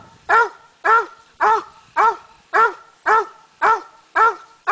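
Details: Slick the coonhound treeing on a coon hunt, steady chopped barks evenly spaced about twice a second, each a short harmonic bark with a brief rise and fall, clear over a quiet background.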